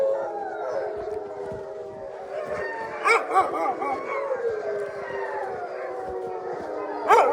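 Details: Wolfdogs, descendants of wolves, in an enclosure at a wolfdog park in snow-covered Hokkaido, Japan; several long, overlapping howls held on steady pitches and sliding gently, forming a chorus, with brief louder yelps near the middle and end.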